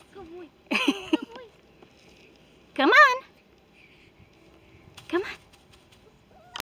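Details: Four-week-old AKC Labrador Retriever puppy, one that hates being left alone, tagging along; three short wavering, high whimpering cries spaced about two seconds apart, rich in harmonics, with quiet indoor background between them.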